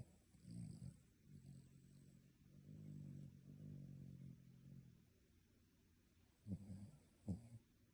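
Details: Sleeping dog snoring like a human: a rough snore at the start, then a long drawn-out low rumbling breath lasting several seconds, followed by two short sharp snorts near the end.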